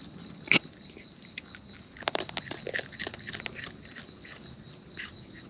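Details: Chewing of wild raccoons while eating: one sharp loud snap early, then a run of crisp crunching clicks and smacking bites, over a thin high insect hiss.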